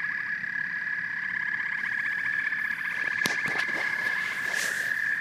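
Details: Frogs and toads calling together in a dense chorus: a steady high trill band with rapid pulsed croaks layered above and below, plus a few sharp clicks partway through.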